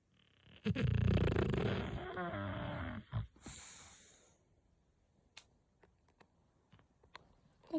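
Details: Sleeping English bulldog, apparently named Tyson, snoring and breathing in its sleep indoors: one long, loud, rasping snore lasting about two seconds, then a shorter wheezy breath, followed by near quiet with a few faint clicks.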